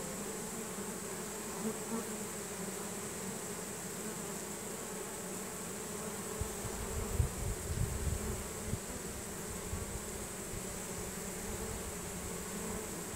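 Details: Honey bee swarm marching into a new hive, bees releasing nasanov pheromone to guide the others in; a steady droning hum with faint pitched bands, joined after six seconds by bursts of low rumbling.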